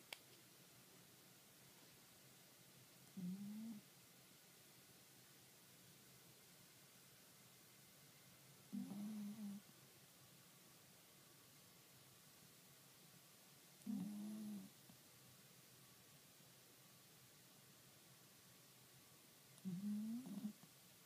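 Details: Kuro the cat asleep on 28 April 2013, snoring in a slow, steady rhythm: four low, nasal drones, one about every five and a half seconds, separated by near silence.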